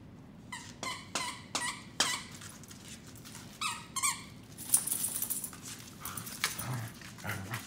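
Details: Three-month-old Corgi puppy Mika play fighting with Fuji: bursts of short, high, squeaky yelps, several in quick runs over the first four seconds, followed by scuffling and rustling with a few softer squeaks.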